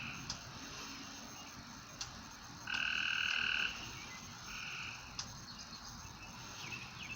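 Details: Frog calling at night: a single steady buzzy trill held for about a second with two bright bands, then a fainter second trill, over soft background hiss and scattered clicks.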